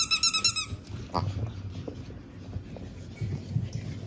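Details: Pug puppies from a litter born 17 April, kept together before going to new homes; a rapid run of about five high, clear yips opens, then soft shuffling and faint thumps.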